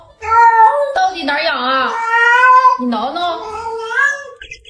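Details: Pet cat Yuanbao answering its owner's questions about an itchy ear with long, drawn-out wavering meows that bend up and down in pitch, one after another, while a woman talks over and between the calls.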